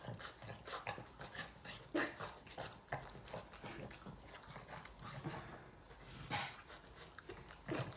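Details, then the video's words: Yoda, a Boston Terrier, cannot stop licking his owner; close, sloppy lick smacks and snuffling breaths come in irregular clusters, mixed with faint whiny noises, while a woman soothes him in Hungarian. "Boston terrier dog Yoda can't stop licking mom"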